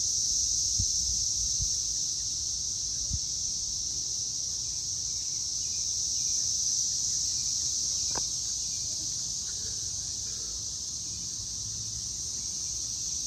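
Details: Loud cicadas on May 24, 2024 at 6:00 pm: a dense, unbroken high-pitched whirring chorus that holds steady throughout, with a few faint low thuds and one brief sharp click near the middle.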